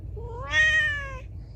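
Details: A single loud meow from a feral cat, rising in pitch and swelling to a bright, harmonic peak before fading, over faint low hum.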